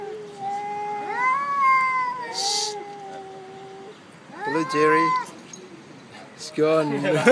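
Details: Black cat fighting on a cat island: a drawn-out wavering howl, then two short, harsh, loud yowls, with a brief hiss-like burst of noise and a person speaking in the background.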